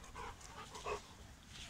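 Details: Young Cane Corso at a kennel in the Republic of Belarus in late January, outdoors in winter: two short, tonal whimpering yelps, the second slightly higher and louder, over a low background rumble.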